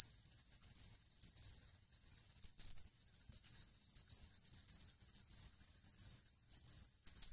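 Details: A pine cricket (Matsumushi) by a reservoir pond in Ehime, Japan, in August, sings its "chinchirorin" song of short, bright, bell-like chirps, repeated in quick irregular clusters.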